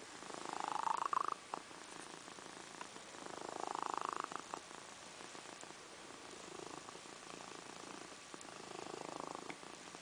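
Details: Snores from a female house cat fast asleep, soft grating breaths rising and falling about every two and a half to three seconds, louder at first and then quieter, against a quiet room.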